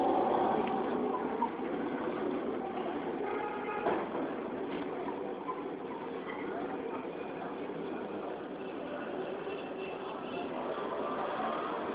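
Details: Steady vehicle or train rumble runs throughout, with faint speech mixed in.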